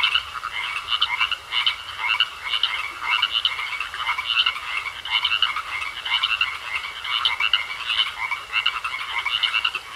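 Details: Frogs croaking in a pond in a thick unbroken chorus; raspy, ratchet-like bursts overlap constantly, rising and falling slightly in loudness every second or so.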